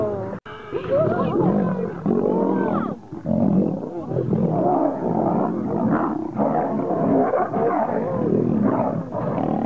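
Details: Lions in a fight, roaring and snarling in rough, rasping bursts with brief drops in between. Voices and music are heard mixed in at times.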